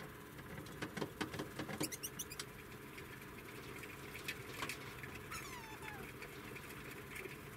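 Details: Degu napping, giving a few high, thin squeaks and a short falling whistled chirp near the end, amid soft rustling and scratching patter over steady low background hum.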